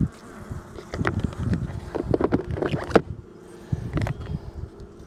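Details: Honey bees of the Lil-Hive, calm with the queen looking good, the hive opened briefly on a 65-degree day to add two honey frames; a steady low hum runs throughout beneath irregular knocks and frame-handling clatter.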